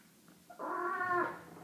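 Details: Domestic cat giving one drawn-out, nasal meow-like call lasting under a second, with strong harmonics, swelling then fading, in a quiet indoor setting.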